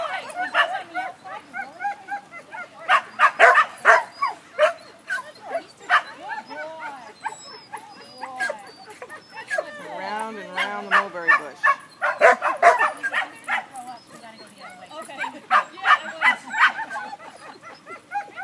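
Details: German Pinscher Remme at a first lesson herding sheep, with bursts of sharp, high barks coming in irregular runs and speech heard partway through.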